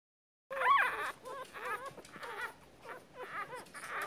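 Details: Newborn Miniature Poodle puppies born in early February 2016, giving a series of short, thin, wavering whimpers and squeaks that rise and fall, with brief pauses between bursts.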